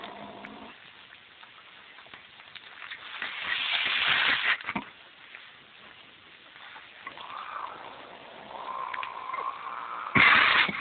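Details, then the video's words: Angry pet cat, a female that acts this way whenever visitors come and turns normal once they leave: harsh hissing and raspy growling, a loud spitting burst midway, drawn-out rising yowls later, and a sharp loud outburst at the end. "angry pussycat"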